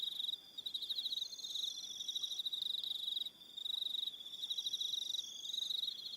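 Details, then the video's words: Evening cricket chorus from Aroha Island, New Zealand: a shrill, fast-pulsed trill at a constant high pitch, pausing briefly twice, with a second higher trill overlapping. "1 Hour Relaxing Evening Sound of Crickets"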